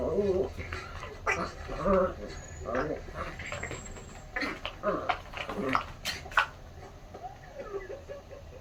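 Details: Pet puppy during ball play: short, high whiny notes come in brief bursts, mixed with sharp knocking thuds and a person talking.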